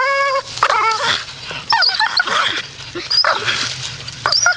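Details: Staffordshire Bull Terrier in a grumpy mood: a steady whine opens, then gives way to choppy, rougher grumbling moans broken up by snorty breaths.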